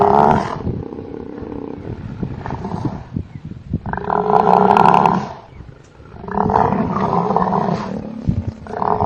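A buffalo gives loud, deep roaring bellows in bursts separated by brief pauses.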